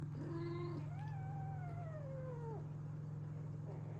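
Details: Domestic mother cat surrounded by her hungry kittens gathering for milk; two clear meows, a short flat one then a long harmonic wail that rises and slowly falls, over a steady low mechanical hum.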